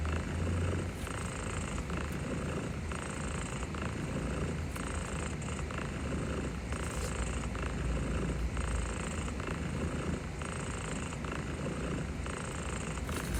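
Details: Purring of Barbara the cat, overwhelmed yet accepting gentle pets. A continuous low rumble rises and falls in rhythmic breath cycles of one to two seconds, over a soft background hiss.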